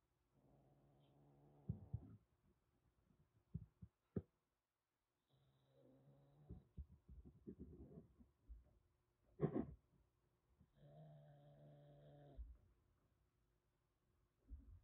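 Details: Threatening stray calico kitten Aki, about one and a half months old, rescued in Kagoshima ahead of a typhoon and held in a cage: long low droning growls broken by clicks, a sharp spit midway, then another sustained growl.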